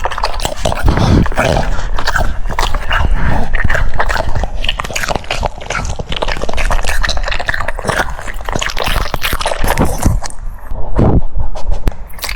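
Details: A French Bulldog munching cucumbers, with rapid crisp crunches, roughly four per second, uneven in spacing, mixed with wet lip smacks and brief pauses near the end.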